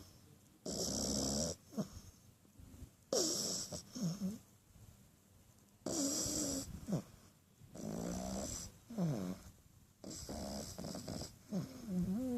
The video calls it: French Bulldog Puppy Snoring